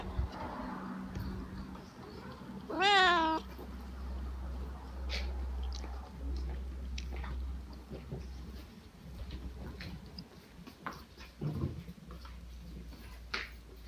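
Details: A lazy Siamese cat just woken up gives one short meow with a wavering rising and falling pitch, set against low background hum and scattered faint knocks indoors.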